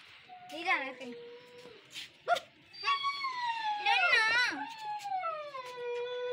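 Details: Siberian Husky puppy in Lahore, Pakistan, giving a long drawn-out howl that holds steady, then slowly slides downward over several seconds, with an earlier short wavering cry; people talk throughout in the background.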